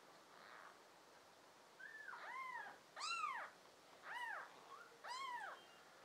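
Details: Kitten from a litter of five American Shorthair and tabby cats, June 2022: clear, bright arched meows repeated about once a second, each rising and dropping in pitch, against a soft background hiss.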